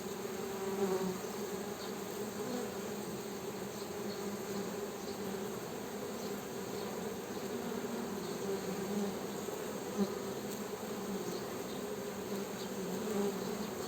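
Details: Honey bees making a continuous low droning buzz, two steady humming bands that swell slightly at moments, with no other clear sounds.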